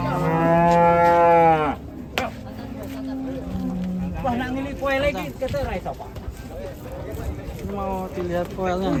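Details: Enraged cow that charged into a passenger car gives a long, loud, rich moo of nearly two seconds. Afterwards come a sharp knock, overlapping low moans and voices, and background commotion.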